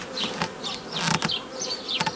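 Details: Continuous drone of honey bees during work splitting a forager swarm into nucleus colonies, 15 May 2018, broken by sharp clicks and knocks of hive handling.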